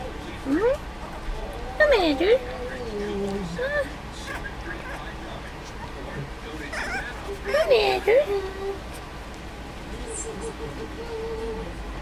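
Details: Four-week-old Dachshund puppies learning to play together. Short high whiny yelps and squeals bend up and down in bursts, once near the start and again around eight seconds, over a steady low hum and faint voices.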